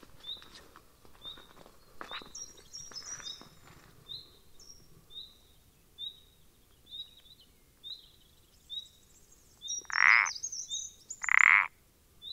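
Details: Common parsley frog recorded 14 April 2020: two loud, short creaking notes near the end, about a second and a half apart, after softer pulses earlier, over steady thin chirping birdsong.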